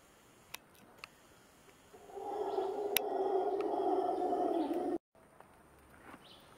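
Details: Howler monkeys howl from the trees above a seasonal stream in the jungle on the way to Montezuma, Costa Rica: a deep, rough, sustained roar lasting about three seconds.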